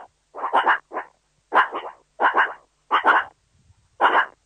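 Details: A meerkat (suricate) calls in short, grunty chattering bursts of two or three quick pulses each. The bursts repeat about every 0.7 seconds against a quiet, empty background.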